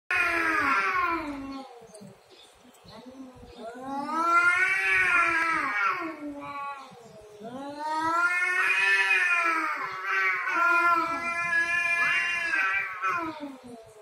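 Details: Domestic cats fighting over territory: long, wavering harmonic yowls that rise and fall in drawn-out howls, with a short lull near two seconds before the wailing swells again and continues to the end.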